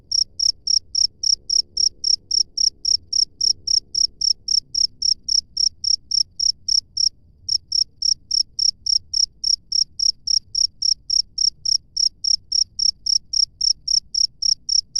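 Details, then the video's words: A wild cricket chirps continuously, about four shrill, high chirps per second, pausing briefly once near the middle before resuming; faint low background rumble. "SUARA JANGKRIK LANGSUNG DARI ALAM BEBAS"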